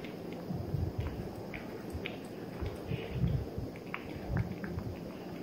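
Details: Kosey, a three-month-old male Maine Coon Persian mix kitten, eating: soft, wet chewing and biting clicks come in quick irregular bursts over a steady low indoor hum, with a few louder smacks near the middle.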